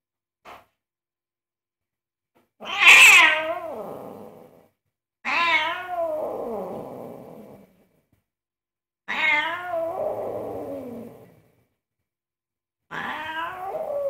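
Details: Angry domestic cat protesting indoors while its owner cooks: four long, loud, drawn-out meows, each rising sharply then sliding down in a wavering wail, spaced about every four seconds in a small room.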